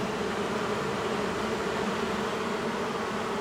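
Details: Angry honey bees from a long-established wall colony in a house, during the first day of a cutout rescue on March 6th after dark; an unbroken, even buzzing drone with stacked low tones, loud and constant.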